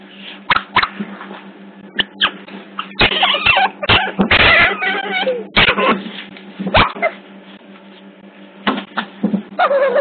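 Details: Busy scuffling otter pups at Hertfordshire Zoo, captured by a hidden CCTV camera, make rapid bursts of noisy squeals and chatter with loud knocks, followed by a quieter stretch and a final squeak.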